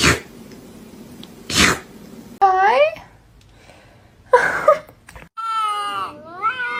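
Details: Kitten meowing and crying, with short rising-falling meows broken up by bursts of noise and human speech, then a longer wavering meow near the end.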